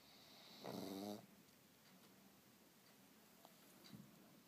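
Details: A pug asleep indoors gives one raspy, buzzing snore lasting about half a second. Quiet room noise follows, with a few faint ticks.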